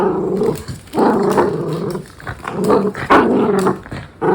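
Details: Tricolor Cavalier King Charles Spaniel named Louis Philipp, a pet in Munich, Germany, makes a string of throaty, harmonic grumbling growls in uneven bursts about half a second apart, with brief quiet gaps between.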